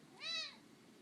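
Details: A single short, clear meow from Lily, a talkative overweight cat once found in a dumpster, swelling and fading within a third of a second against near silence.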